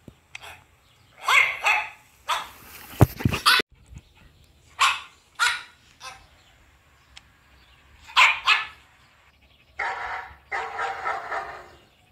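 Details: Black-cape German Shepherd barking at home in reaction to recorded dog barking and howling played for it: loud, harsh barks in irregular bursts, single and doubled, with short pauses between them and a brief noisy clatter near the middle.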